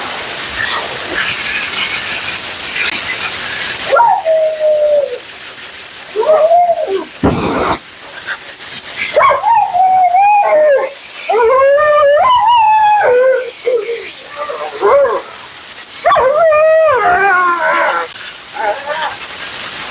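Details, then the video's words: A talkative Siberian Husky named Mila protests her bath and blowout with a string of yodelling, wavering vocal bursts. The cries bend up and down in pitch, separated by short pauses, over a constant hiss of grooming equipment. "Talking Husky FURNADO Bath and Blowout"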